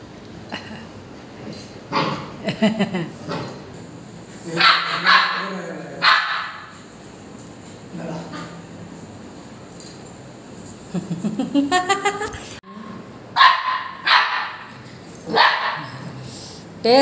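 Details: Two-month-old Labrador Retriever puppy fussing and quarrelling with its father for more chapati: bursts of short yappy barks and whines scattered across the recording, with human voices between them.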